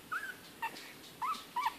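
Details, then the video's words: Nineteen-day-old Bichon Frise x Yorkshire Terrier puppies, litter of four, eyes just opened; four short high squeaky whimpers, rising then falling, spaced about half a second apart, quiet room. "Bishon Yorkie litter (Day 19, Sept 4th)"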